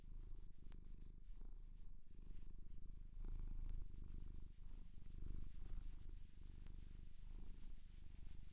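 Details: Purring from a domestic cat adopted from a shelter in Japan, recorded close indoors for ASMR: a deep, continuous pulsing rumble that swells and eases with each breath, with faint rustling.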